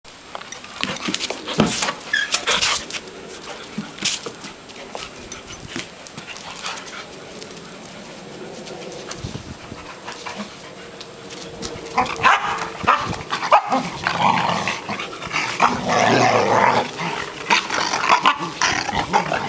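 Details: An English Springer Spaniel, full of energy just after its long hair was trimmed, gives excited whines and whimpers with snuffling and clattery bursts, growing louder and more tonal in the later half.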